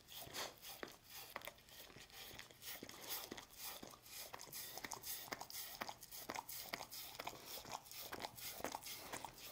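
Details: Dog, apparently named Lucy, eating a Churu treat indoors: wet licking and smacking clicks, sharp and broadband, coming about twice per second in a steady but loose rhythm, with a low steady hum beneath.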